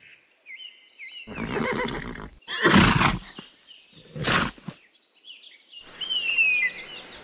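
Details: Horse neighing in a rough, wavering whinny, followed by two loud breathy snorts; shrill, high bird-like cries follow at the end.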